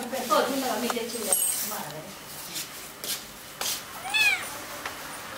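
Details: Kittens calling indoors, with a short high mew early on and a clear, rising-then-falling meow near the end, amid scattered thumps and people speaking nearby.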